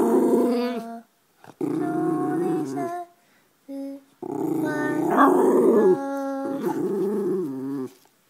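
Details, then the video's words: White schnauzer singing: a string of drawn-out, growly howling notes, some held steady and others bending up and down, grouped into phrases separated by short pauses. "the white schnauzer sing"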